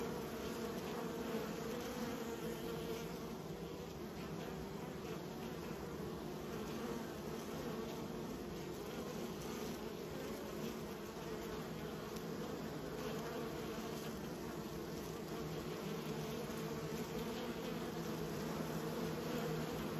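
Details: Domestic honey bees fill the air with a constant layered hum, many wings droning at an even low pitch for the whole stretch.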